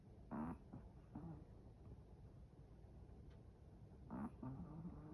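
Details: Chihuahua snoring in its sleep, a pair of low, throaty snorts near the start and again near the end, separated by quiet breathing and faint room noise.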